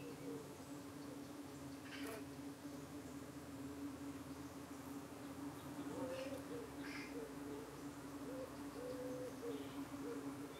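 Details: Low steady hum of honey bees at a UK hive in the evening, bees defending against flies trying to cling to their abdomens; short rising whines and faint clicks float above the constant drone.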